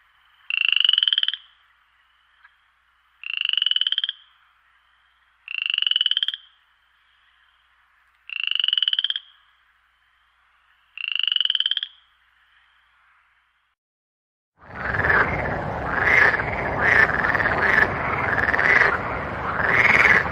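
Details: At night in a marang tree, a frog repeats a single rising, nasal croak about every two and a half seconds, five times, then a louder, harsher and noisier chorus of croaking takes over.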